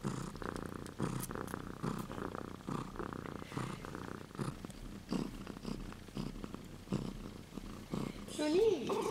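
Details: Purring from young Siberian kittens, two silver girls at 2 and 3 weeks old: a continuous low throbbing rumble of even pulses, with a brief human voice near the end.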